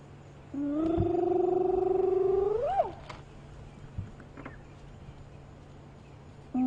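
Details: A spotted hyena near its den at sunrise on 2 October 2015 gives a long, hollow, steadily rising whoop that swoops sharply upward at the end.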